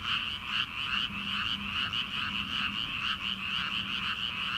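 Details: Rice-paddy frogs in early summer, heard at night before rice planting: steady, dense chorus of quick repeated croaks from many callers, with a soft low droning tone running underneath.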